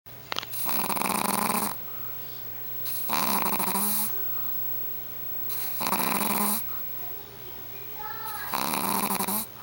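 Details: A four-and-a-half-month-old Shih Tzu puppy asleep indoors, snoring in loud, rasping, breathy bursts of about a second each, coming roughly every two to three seconds with quiet gaps between.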